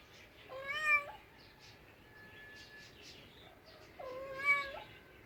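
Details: Domestic cat uttering two loud, flat-toned meows about three and a half seconds apart, each roughly half a second long, with quiet background between them.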